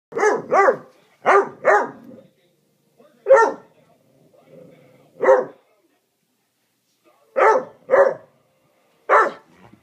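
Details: Great Dane puppy barking at a Beagle: nine sharp, loud barks, mostly in quick pairs, with short silent gaps between bursts.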